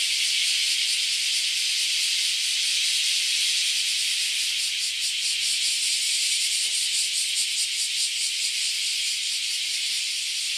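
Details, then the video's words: Loud cicadas swarming at a Japanese farm house, a dense continuous high-pitched shrill drone with a faint pulsing throb, steady throughout with no other sounds standing out. "LOUD Cicada Invasion at the Japanese Farm House"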